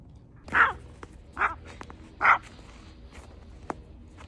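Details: A tiny Chihuahua climbing a snowy hill gives three short, sharp barks about a second apart, followed by quiet with faint rustling.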